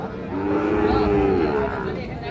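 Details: Sahiwal bull calf at Ambari cattle market, Parbatipur, Dinajpur, Bangladesh: one drawn-out, even, harmonic moo lasting about a second, slightly falling at the end, amid market chatter and men's voices.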